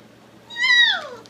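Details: Three-week-old puppy gives a single drawn-out whine lasting under a second, rising slightly and then sliding downward in pitch, clear and tonal over a quiet indoor background.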